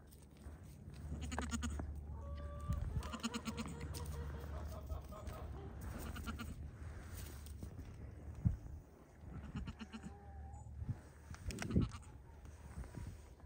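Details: A young Pygmy goat at play on a Knoxville, Tennessee farm gives several quavering bleats spread through the recording, some rising slightly in pitch, amid thumps, rustling and constant low-frequency wind noise.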